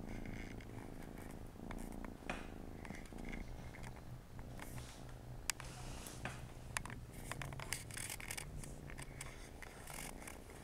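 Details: Siamese kittens playing beside their mother on a Saturday afternoon; low purring rumble underneath frequent clicks, taps and rustling from movement, the purr fading in and out.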